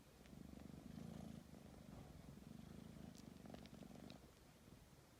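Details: Tabby cat kneading before sleep, purring in a strong low pulsing rumble that swells and fades in rhythmic breaths over about four seconds, then softens.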